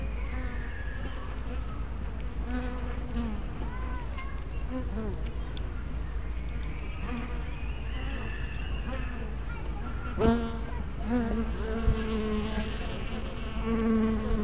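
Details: Busy honey bee hive entrance recorded on a spy cam with fisheye lens: continuous hum of many bees, with individual fliers sweeping by in curving, rising and falling buzzes, and a brief knock midway.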